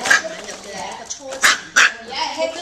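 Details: Tiny micro teacup poodles from Alabama, now living in Hong Kong, in a playful crazy mood; two sharp, high yapping barks ring out over steady background human speech.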